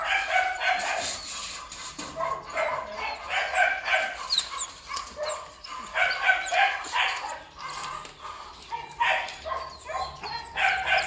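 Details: Belgian Malinois named Duron, a black and red-black breeding dog at a kennel in Ho Chi Minh City, Vietnam, barking loudly in quick clustered bursts of harsh barks, several per second with brief pauses between groups, faint voices in the background.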